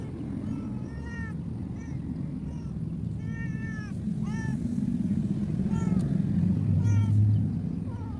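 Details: Abandoned cat left by the roadside, far from any food source, meowing repeatedly in short arched, harmonic-rich cries, about one every second, over a steady low rumble of traffic and engine noise.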